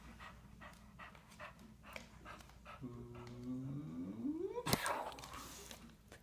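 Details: An English Bulldog named Rue, filmed close up while playing, pants in quick rhythmic breaths, roughly three or four a second. A drawn-out voiced sound then rises steadily in pitch and ends in a sharp click.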